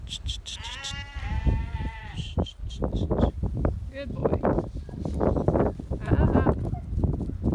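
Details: A goat herded by a young stockdog, six months old, lets out a long quavering bleat early on, then fainter bleats. Hooves shuffle and thud, and a handler talks to the dog in the background.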